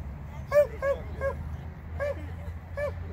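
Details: Border Collie during novice agility, giving a quick cluster of three sharp barks, a short pause, then two more spaced barks against a low, rumbling background.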